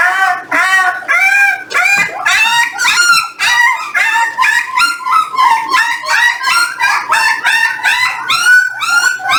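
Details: Jindo dogs, puppies aged 18 days weighed with their parents: a steady run of short, bright, harmonic squeaks and whines, many callers overlapping, pulsing quickly throughout.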